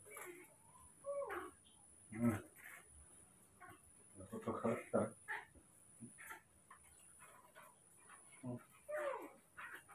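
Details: Newborn baby monkeys Moni and Mino being trained to build their strength, uttering thin, wavering whimpers that rise and fall, scattered through ten seconds between soft Indonesian speech and handling noises.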